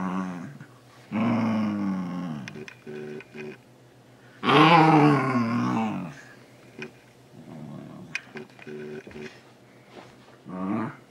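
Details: Lego, a male Shiba Inu nearly two years old, grumbling while trying to grab socks: two long, wavering, harmonic yowls with growly undertones, separated by short bursts and soft murmuring sounds, a final brief whine at the end.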